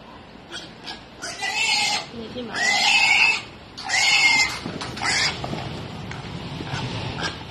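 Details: A wild boar piglet being caught with a net gives a run of shrill, harsh squeals in loud bursts.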